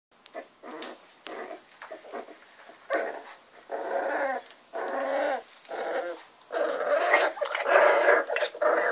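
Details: Three-week-old Miniature Bull Terrier puppies in their first play fights give squeaky little growls and yelps in short, overlapping bursts.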